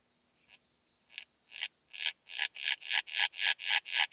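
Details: Sickle-bearing bush-cricket (Phaneroptera falcata) at Scheyern, Germany, on 1 October 2020, picked up with a Pettersson D 100 ultrasound detector: sparse dry ticks building into a steady run of about a dozen, roughly three per second, growing louder.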